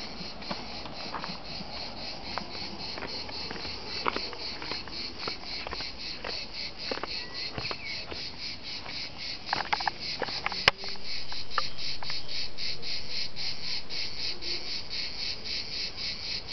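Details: Cicadas singing at dusk in Liguria, Italy: a dense, continuous high buzzing drone with rapid even pulsing, scattered sharp clicks throughout, and the chorus swelling louder and steadier after about eleven seconds.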